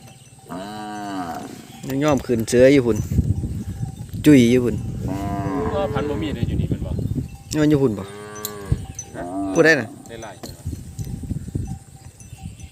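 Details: A chorus of calves crying when they cannot find their mothers: repeated overlapping bawls, some wavering and some steady, rising and falling through the clip, over low rumbling and a thin high hum.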